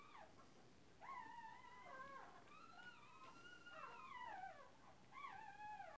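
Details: Fifteen-day-old Cairn Terrier puppy at a breeding kennel, giving high, whining whimpers that rise and fall in wavering slides, several cries in a row with short gaps, over a low background hum.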